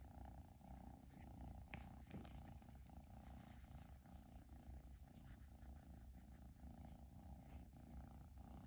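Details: Long-haired Persian kitten in Japan purring nonstop after its owner finally came home; a steady low rumbling purr continues throughout with a faint background hum.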